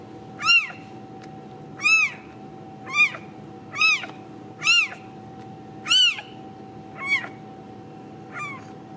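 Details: Home-raised Ragdoll kitten at a central Kansas cattery mewing insistently: eight bright, arched meows spaced roughly a second apart, the final one softer, against a constant low hum indoors.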